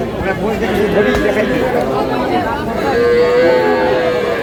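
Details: Dairy cow with her calf at Aftabganj cattle market, Dinajpur, on 19 May 2026: a low, drawn-out moo with a steady tone rises through the busy market, under constant bargaining voices and crowd chatter.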